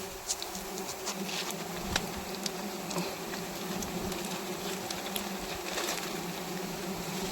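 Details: Many honey bees buzzing around a wild hive being harvested, a sustained low hum with steady harmonic bands, dotted with sharp clicks and scattered taps throughout.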